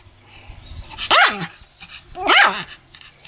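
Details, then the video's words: Pomeranian giving two sharp, bright barks about a second apart while pretending to bite, recorded 1 May 2015, with faint low background noise between them. "ポメラニアン 今日のサムちゃん 犬の鳴き声 噛みつくフリあり"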